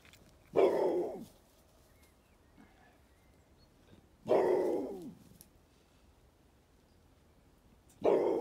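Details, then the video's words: Dog named Oernie barking at a floating duck house, three loud single barks spaced about four seconds apart, with quiet outdoor background between them. "Hund bellt schwimmendes Entenhaus an"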